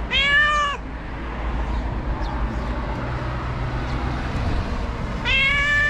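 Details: Two loud, clear meows, one at the start and one at the end, come from a stray cat in Morocco waiting by the trash for food, separated by several seconds of low urban hum.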